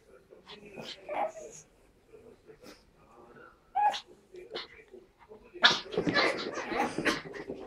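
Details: During play between Tilda, a Pug puppy, and Roz, a Chihuahua puppy, scattered soft whines and a thin squeak give way to a loud burst of rough, noisy growling near the end; quiet speech now and then.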